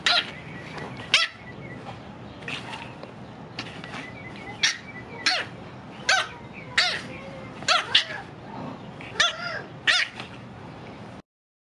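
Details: An 8-week-old female blue French Bulldog puppy barks in short, high-pitched yaps, some rising into squeaky yips. The barks come singly or in quick pairs, a second or two apart, in a quiet room.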